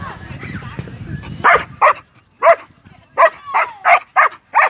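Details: Belgian Malinois in Vietnam, low murmuring voices at first, then a run of about nine sharp, clipped barks at irregular intervals, some with a slight yelping rise.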